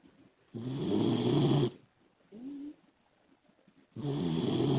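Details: Pet Labrador Retriever Komachi snoring as a sleeping puppy: a long loud gravelly snore, a short nasal whistling breath, then another loud rasping snore starting.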